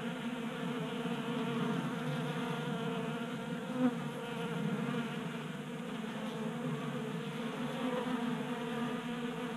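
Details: Swarm of honey bees at a 3D printed feeder indoors in a Colorado garage, January warm spell; continuous layered buzzing hum with one short sharp knock near the middle.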